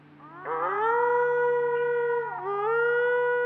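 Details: A coyote gives a long, siren-like howl that rises, holds steady, dips briefly, then climbs again, one of two coyotes answering each other with siren-like howls, recorded on a trail cam in autumn.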